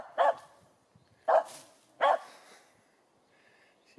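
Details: A Finnish Spitz barks at a squirrel up above: three loud, clear barks about one second apart, then quiet.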